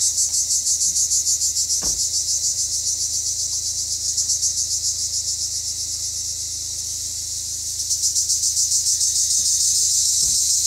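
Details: Cypriot black cicadas singing in sunshine: an intense high-pitched pulsing drone, steady and throbbing, easing into a smoother buzz midway before the pulsed rhythm returns strongly; a couple of faint clicks underneath.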